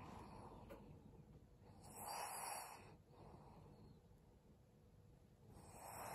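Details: Maria, a twelve-year-old fawn female senior Pug in Japan, December 2022 around 19:30; soft breathy snores swell roughly every three and a half seconds, hissing noisy breaths over a quiet room.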